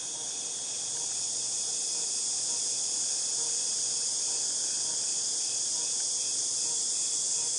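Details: Cicadas recorded in August 2018 produce a loud, unbroken high-pitched hiss that rises briefly in the first second and then holds steady.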